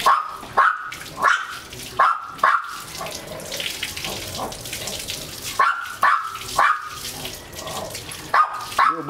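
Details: German Shepherd x Labrador crossbreed being bathed, making clusters of quick high whining yelps separated by a short pause, against a hiss of tap water and a little human speech.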